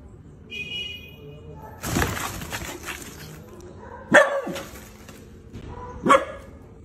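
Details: Miniature dachshund at play, with rustling and handling noise early on, then two sharp, ringing single barks about two seconds apart.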